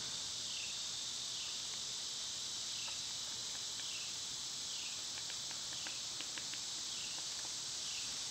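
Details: Cicadas loud in summer: a piercing, steady buzz pulsing about once a second, with light clicks and ticks layered on top in the second half.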